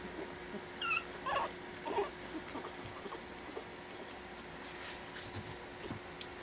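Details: Four 4-week-old Pekingese puppies learning to play after dinner for the first time; a few short, high, squeaky whimpers in the first two seconds, then soft pattering and quiet rustling in a small room.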